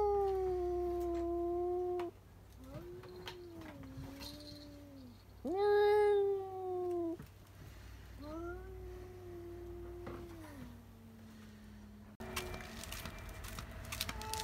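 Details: Domestic cats indoors yowling after spotting another cat outside: long, drawn-out wavering howls that slide and bend, with a harsher tonal cry near the middle, then a burst of broad clattering noise at the end.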